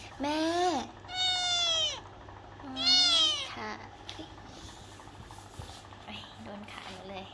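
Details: A pet cat gives three clear, drawn-out meows in the first few seconds, bright and slightly falling in pitch, while a woman coaxes it in Thai; quieter talking and a soft hum follow.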